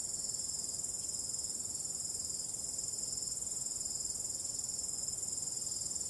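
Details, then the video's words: Crickets singing through a starry night with calm wind: a constant, piercing high-pitched trill with rapid regular pulses, unchanging and uninterrupted from start to finish. "ambient relaxing cricket sound"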